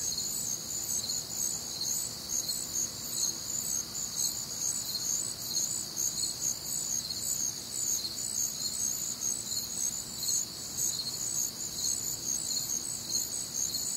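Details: On a warm, humid summer night in the American Midwest, crickets keep up a shrill, evenly pulsing chorus of high chirps, several callers overlapping in bright bands.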